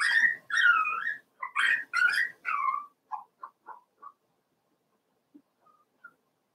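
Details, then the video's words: Four-week-old Cavalier King Charles Spaniel puppies in Daisy's indoor puppy pen give a run of high, wavering whines and squeals, then a string of shorter, softer yelps fading into quiet. "Daisy's Cavalier Puppies Livestream: 4 weeks old"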